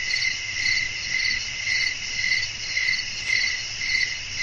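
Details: Crickets chirping at night in a natural setting with wind, a steady high trill pulsing in bright bursts roughly twice a second, layered bands of tone over a faint low rumble.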